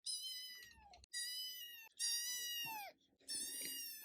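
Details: Female Scottish Fold kitten, a prick-eared red tabby born November 2021, giving four long, drawn-out meows with rich harmonics that fall slightly at the end of each. Short silent gaps separate them, with a faint steady hum behind.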